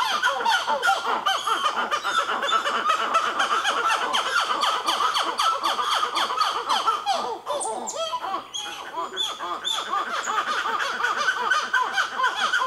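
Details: Rapid, overlapping rising-and-falling calls pour out nonstop from black-fronted titi monkeys, a baby among the group, at Nazare Paulista, Brazil. The calling briefly dips near the middle before resuming at full strength.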